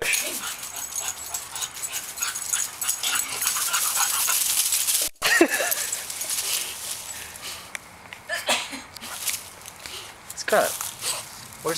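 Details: Scarlett, a pet dog, races through the yard with her green ball, letting out a few short, high, whining yelps that rise and fall, over a constant rushing noise.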